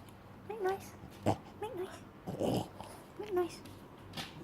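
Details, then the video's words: Female French bulldog indoors, vocalizing on her owner's repeated command to make noise: three short, wavering moan-like whines that rise and then fall, spaced about a second apart, with a soft scuffing thump in between. "French Bulldog; Neptune making noise"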